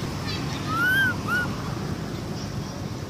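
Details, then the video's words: Young monkey Amara cries for her mother after a bite. Two arched, whining wails follow close together, the first longer and louder, over steady low background rumble. "baby monkey Amara cry every day, pity baby cry calling mom"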